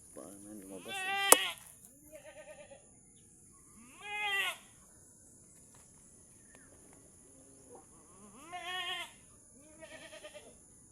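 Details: Mother goat struggling to give birth while the keeper helps pull the kid out; loud, wavering, nasal bleats recur about every four seconds with softer bleats between them, over a steady high electrical whine.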